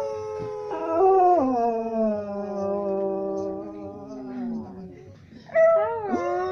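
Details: Dog said to be singing: a long wavering tonal howl that slides from high down to low over about four seconds, followed after a short pause by a second rising-and-falling howl.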